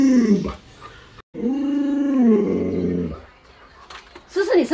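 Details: A pet Alaskan Malamute named Luoluo reacts to its owner lying sick in bed. It gives a smooth, sustained howl for nearly two seconds that bends slightly downward at the end. Short voiced sounds come before and after it.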